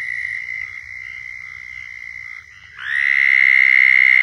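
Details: Florida southern toads in a mating chorus: a moderate steady trill fades briefly, then a louder, closer trill swells in and continues evenly.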